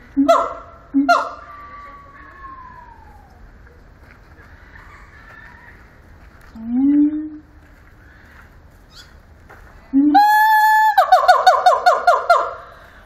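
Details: Siamang singing at Zoo Antwerpen: two sharp barks and a long falling wail, a brief wavering hoot, then one sustained loud scream followed by a rapid run of harmonic barks.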